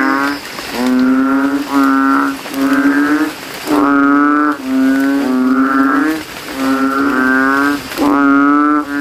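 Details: Banded bullfrogs competing for loudness in a cemetery puddle on a rainy night, throats swelling; buzzy, droning notes about a second long, in short bursts with brief pauses and faint rain-like patter behind.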